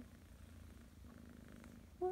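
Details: Lilly, a Persian kitten, purrs softly and steadily in the morning while enjoying belly rubs; the low pulsing hum runs throughout, and a short rising meow breaks in right at the end.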